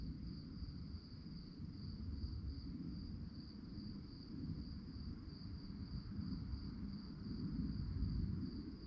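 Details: Crickets chirping in the night, a thin, fast, regularly pulsing trill over a continuous deep rumble of wind or traffic noise.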